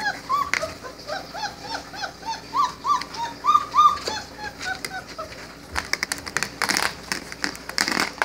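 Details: Four-week-old Great Dane puppies give rapid, high, arching whimpers and squeaks, one after another.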